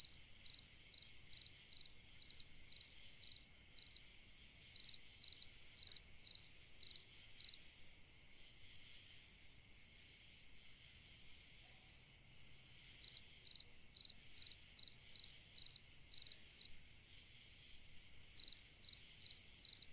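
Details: Summer-night cricket song: bursts of bright, high, trilled chirps, each a quick cluster of pulses, repeated roughly twice a second in long runs broken by pauses of a few seconds, with a soft continuous hiss behind.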